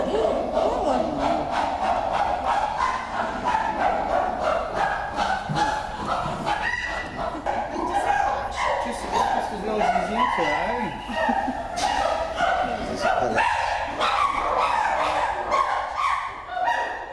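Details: Zoo chimpanzees at Twycross Zoo hooting as a group before feeding time, with a hairless male among them: loud, overlapping harmonic hoots and yelping cries in quick, rising and falling bursts, calling continuously throughout.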